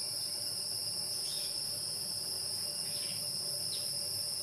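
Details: A continuous, very high shrilling from insects in the wild holds steady from start to end, with a few faint short chirps rising above it.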